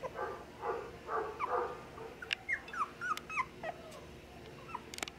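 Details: Dachshund sibling pair at a Nara pet shop, Japan: a few soft yips at first, then a run of thin, high, whistle-like whimpers, quickly rising and falling, close together over a few seconds.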